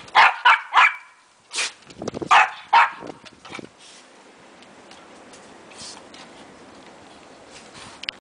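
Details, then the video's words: A foster dog playing roughly with three household dogs: a quick series of sharp, loud barks in two groups over three seconds, then quieter scuffling and panting as the play continues. "Willy rough housing with our dogs"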